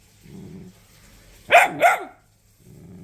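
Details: Dachshund and Jack Russell Terrier mix dog, scolded indoors for chewing up a charger, gives two quick sharp barks about a third of a second apart, with a person's scolding voice before and after.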